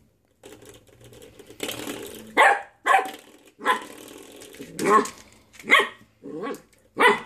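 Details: A puppy playing with a door stopper gives short, rough yappy barks and growly yips in irregular bursts about every second, with a person talking softly in the background.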